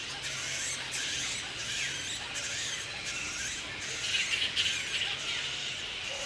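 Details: Grey-headed flying foxes roosting in the wild at Woodford, Australia, mid-April breeding season with mating pairs; harsh shrill squawks and squeals in quick irregular bursts over a constant high chattering background of the colony.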